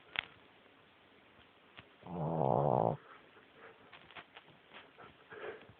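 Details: Boston Terrier puppy asleep under the covers on a person's foot, snoring loudly enough to be heard over a television; one rough, buzzing snore lasting under a second, surrounded by quiet room noise and a few soft clicks.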